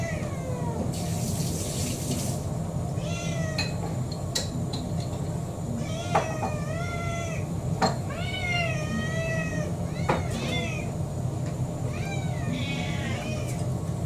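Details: An orange tabby mixed-breed cat, Kurumi, about four, pleads for dinner with a run of clear harmonic meows, rising then falling, in quick succession, alongside sharp clicks, a brief splash of running water, and low household hum.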